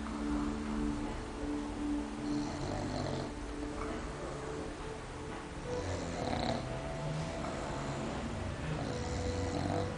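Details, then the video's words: A cat named Gara snoring, heard but not seen: low rumbling breaths repeating steadily, with faint higher tones drifting over a soft background hum. "Gara Roncando"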